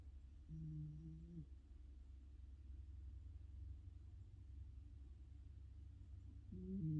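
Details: Juneau, a female rescue Chihuahua, snoring faintly and contentedly while curled up asleep next to a heater vent in the morning; soft low hums with a steady tone, one near the start and another rising at the end, over a constant low room hum.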